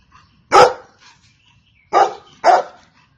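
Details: Golden Retriever barking once loudly, pausing over a second, then two more barks close together, each bark full and mid-pitched against a quiet background.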